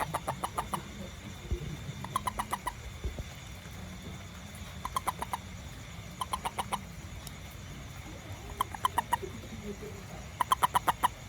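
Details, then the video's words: A little toad heard after rain near a house and garden, giving quick runs of four to six sharp, wooden clicks that come in regular bursts about every two seconds, with a low background rumble. "WONDERFUL SOUND OF TOAD"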